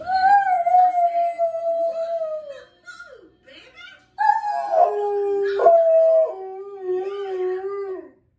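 A dog howls in long, sustained tones that waver and then leap abruptly between higher and lower pitches, giving a yodelling effect. After a short pause, a second drawn-out howl steps down in pitch and trails off.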